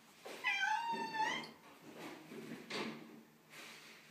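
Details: Tortoiseshell cat unhappy on moving day into a new house, giving one drawn-out complaining meow with a wavering, slightly falling pitch, followed by soft rustles and thumps in a small indoor room.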